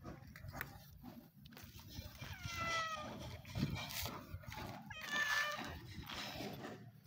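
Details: Stray sibling cats on the street, pleased when fed, give two clear meows, a longer falling one followed by a short, steady one, over a background of rustling and faint voices.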